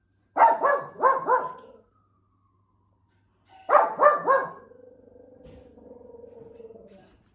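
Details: Shih Tzu dog playing and showing tricks: two bursts of three quick, sharp barks, separated by a pause of about two seconds, followed by a low steady hum.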